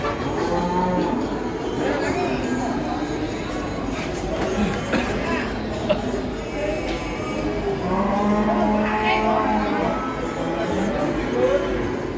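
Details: A fat cow on a rampage, frightening villagers, gives a drawn-out harmonic moo near the end, set among rustling noise, thumps and human voices.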